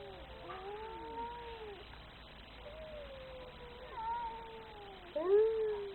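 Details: Very angry domestic cat giving a series of drawn-out, wavering yowls that slide downward in pitch, with short pauses between them; the final yowl bursts in loudest and strained, in a quiet room.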